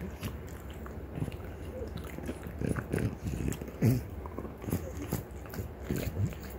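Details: French Bulldog mother Ume, three years one month, and daughter Roku, one year six months, both female, gnawing deer antler indoors; dull grinding crunches and scraping in irregular bursts, low and close, with a faint voice.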